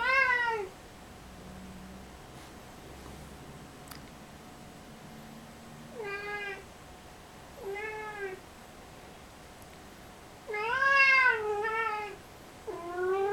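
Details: Domestic cat meowing indoors, with drawn-out harmonic meows that bend down at the end, five calls spaced a few seconds apart over a quiet room background.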